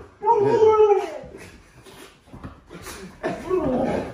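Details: Pet huskies, including Lola, a nearly full-grown puppy, reacting to a scary movie costume prank at home: a drawn-out, wavering whine near the start, then a second rougher, rising howl-like vocalization, with human speech mixed in.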